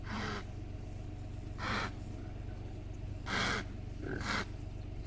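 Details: Impalas fighting beside the road to Punda Maria camp in Kruger Park: four short, harsh, raspy bursts spaced about one to one and a half seconds apart, over a steady low engine-like hum.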